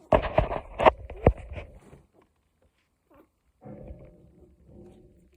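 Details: A one-week-old Cocker Spaniel puppy cries up close: a burst of loud, harmonic yelping squeals, a pause of near silence, then softer, lower whining moans.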